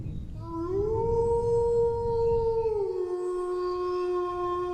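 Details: Howling dog: the note swells upward, holds a smooth level tone for about two seconds, then drops to a lower steady pitch that continues to the end.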